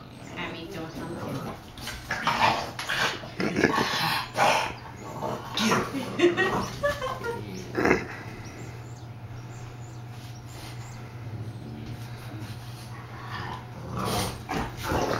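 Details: Two bulldogs, a big one and a baby cousin, play-fighting: bursts of rough growls, snorts and grunts come in irregular rushes, with a person talking in between and a steady low hum underneath.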